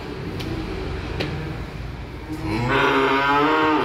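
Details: Small calves arriving by truck moo; a rising, harmonic-rich bawl swells in after a stretch of low rumbling background and carries to the end.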